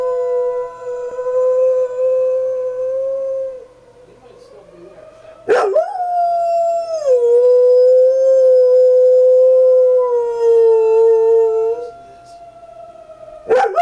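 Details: Pet dog Sierra howls in secret on the porch in response to the fire whistle, long smooth drawn-out notes with gentle pitch falls, broken by a brief sharp noise and a pause between howls.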